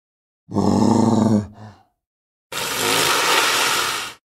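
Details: Walrus giving a low, harmonic bellowing groan lasting about a second, a brief softer grunt right after, then following a pause a loud, harsh rasping blast over a second long.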